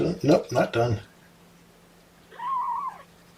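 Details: A human voice speaks briefly, then one of Mama Seraphina's four young kittens gives a single arched, wavering meow lasting nearly a second while objecting to being pottied before weighing.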